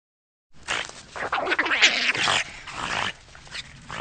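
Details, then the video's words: Eurasian otter producing a nearly continuous stream of high, harsh squealing and chattering notes lasting over three seconds, loudest in the middle and fading slightly toward the end. "Wydra - Otter - Lutra - Altweltotter - Ptaki, płazy, gady, ssaki - sounds of nature"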